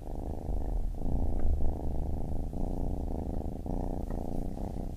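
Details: Baby kitten purring steadily, a dense low rumble pulsing with each breath, broken by brief pauses near one, two and a half and three and a half seconds; no other sounds stand out.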